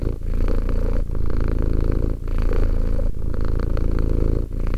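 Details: A two-year-old cat purrs in close, even cycles: a low vibrating rumble on each breath, separated by quick dips about every second, nothing else audible.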